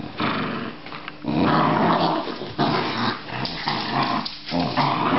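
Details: Australian Terrier growling steadily, a coarse rumbling snarl that swells loudest around the middle and keeps going with only brief dips.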